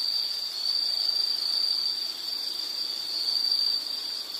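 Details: Short stretch of steady shrill insect trill, nearly unbroken, swelling and fading slightly in loudness over a soft hiss of more insects.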